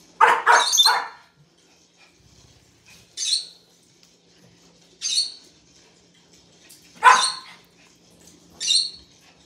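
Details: A Pomeranian barks out of fear at an 'attacking' weasel, apparently a toy: a quick triple burst, then sharp high yaps every two seconds.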